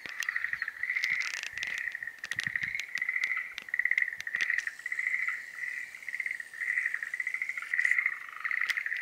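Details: Breeding-season chorus of Schlegel's green tree frogs: rhythmic bursts of rapid, rattling pulses, each lasting about a second, repeated over and over as several callers overlap. Scattered clicks are heard early on.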